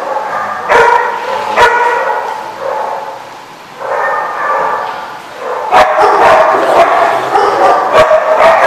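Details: Dogs barking at a kennel or dog daycare known as The Barking Lot, recorded 10/5/15: overlapping yips and barks in irregular bursts, with sustained whining tones between sharp bark onsets and several dogs calling at once.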